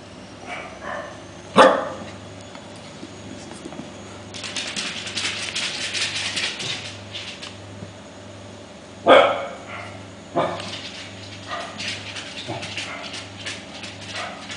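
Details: Five-week-old Welsh Corgi puppies exploring, romping and scuffling together. Sharp single yelps and barks come near two, nine and ten seconds, with softer squeaks and scrabbling between them over a steady low indoor hum.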